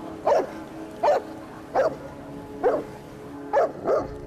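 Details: Bernese Mountain Dog barking at a snapping turtle that attacked it: six loud, harsh barks spaced under a second apart, each a short burst with strong low-mid harmonics, steady background hum between them.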